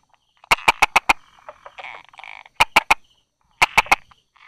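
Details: Hidden in rock cracks and grass on 22 July 2016 at 10:44, a Buerger's frog calls in crisp tapping runs of four to five clicks, three runs in quick succession, with faint buzzing frogs behind.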